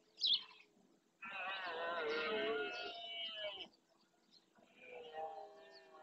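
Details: Red deer stag in rut at Doñana National Park marshland, Spain, roaring to claim territory: one drawn-out harmonic roar lasting about two and a half seconds, followed by a fainter, shorter call; a brief high chirp opens the recording.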